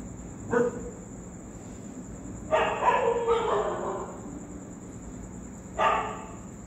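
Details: Street dogs barking in reaction to a ghost sound: one short bark, then a burst of several harsh overlapping barks around the middle, and a final bark near the end, over a steady high electrical whine.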